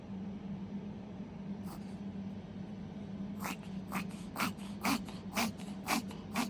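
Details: Puppy in a bout of reverse sneezing, a cough that will not stop. After a quiet start, harsh snorting gasps come in a quick steady series, about two per second, over a constant low indoor hum.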